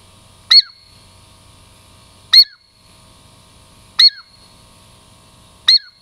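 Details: Female pet Douglas squirrel called Girl Squirrel, Puget Sound lowland native, approaching for a treat: four loud, piercing high chirps, each dropping quickly at the end, repeated roughly every one and a half to two seconds in quiet surroundings.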